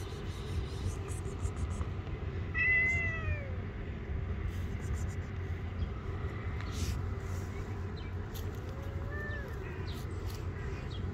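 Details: Angry stray street cat that bites the hand touching it gives two drawn-out, arching meows several seconds apart over a steady low rumble, with faint clicks and rustles.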